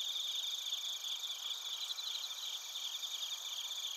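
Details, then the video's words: Bell crickets and other crickets chirping in Narita, Chiba Prefecture, Japan, recorded on a TASCAM Portacapture X8: a dense, continuous high-pitched chorus of stacked shrill trills, with several layered bands of rapid pulsing and no other sounds. "スズムシとコオロギの鳴き声 - Chirping of crickets"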